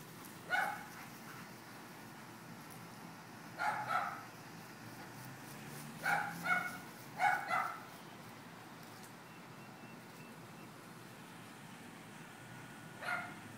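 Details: Leroy and Oscar, dogs having fun, give short sharp barks in scattered bursts: a single bark near the start, a double bark around four seconds, two quick pairs around six to seven and a half seconds, and one final bark; otherwise a quiet background.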